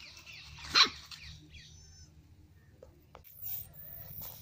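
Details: Puppy barking for the first time: one short, sharp high bark near the start, followed by faint squeaks and a low steady hum in the background.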